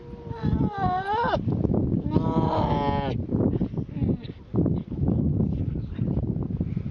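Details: A grey seal pup wailing: two long, harmonic cries, the first rising at its end, over a dense rumbling background of wind or surf.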